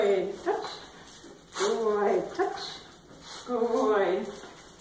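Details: Miniature Schnauzer named Obi Wan at play, giving repeated harmonic whining yelps in short bursts, rising and falling, with a person's encouraging speech in between.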